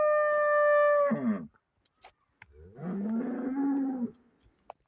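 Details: Friesian cow for sale in Pakistan gives a long, steady, fairly high-pitched bellow that breaks off abruptly, then, after a quiet gap, a lower, rougher moo lasting about a second.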